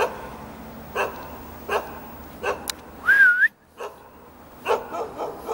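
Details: Jindo dog greeting visitors from a rooftop in Jeonju, Korea: a few spaced barks about every second, plus a brief wavering whistle-like tone in the middle.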